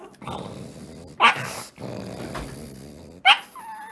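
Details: Komugi, a female Pug, sleeping and snoring in Kofu: two long, rough, rasping breaths of about one and a half seconds each, each followed by a brief sharp snort, in a quiet room.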